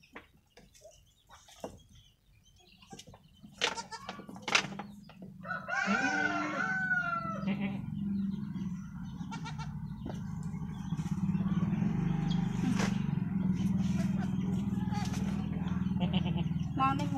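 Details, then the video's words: Newborn goat kid (cempe) giving a single wavering, harmonic bleat that rises then slides downward near the middle, set against a steady low hum with scattered clicks and knocks before and after. "mbek mbek mbek||anak kambing lucu"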